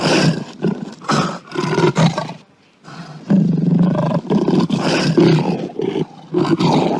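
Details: Lion giving a run of rough, broadband roaring bursts, each under a second, with short gaps and one longer pause near the middle.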